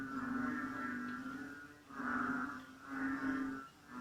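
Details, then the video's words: A chorus of Borneo frogs at night in rain near tropical jungle, 8 pm; deep droning hums in three swelling bouts, each loud for about a second before dipping, steady and resonant. "AUDIO SOUND OF BORNEO FROGS ( BUNYI ASLI KATAK BORNEO )"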